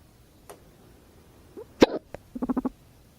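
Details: Pet guinea pig purring in response to its owner's hiccup: after a sharp hiccup, a short run of about five low, buzzy vibrating pulses in quick succession follows, with small clicks and breath sounds in a quiet room.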